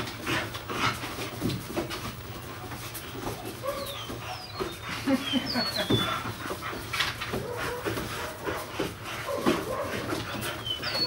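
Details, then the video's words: Fox red female puppies at play, giving short scattered whimpers and soft yelps among constant scuffling and rustling, with high thin bird chirps and a steady low hum in the background. "Fox red females at play"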